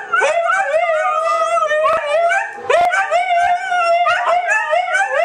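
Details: Siberian Huskies howl after hearing a piece played on a computer, in long, wavering tones that rise and fall, broken by brief yips.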